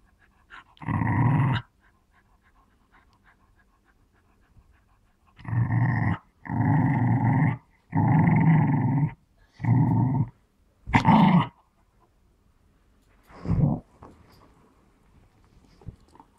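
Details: Smooth Fox Terrier indoors, playing with a ball and claiming it as its own, giving low rumbling growls in bursts of about one second, seven bouts separated by short silences, the longest near the middle.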